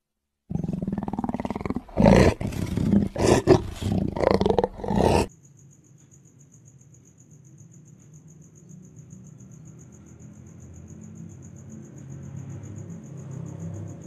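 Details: Black panther, a leopard subspecies found only in tropical forests, giving a run of rough, pulsed roars for about five seconds. The roars are loud and low with a broad spread. Afterwards comes a quiet low hum and a faint steady high tone.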